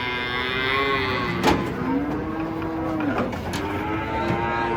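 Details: Big cattle unloading off a truck: low, sustained moos glide and hold, with sharp metallic clicks and thumps from the vehicle between them.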